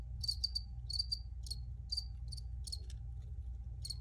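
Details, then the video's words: Recorded crickets chirping in clustered bursts, quick paired and tripled high pulses with brief pauses between groups, a constant low rumble underneath. "Free Cricket Sounds for Re-Use or Relaxation"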